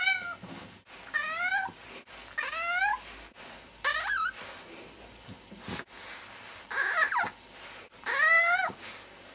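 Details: Domestic cat making strange noises indoors: a series of about six drawn-out, wavering meows and chirrups, some rising then falling, separated by short pauses, in a small room.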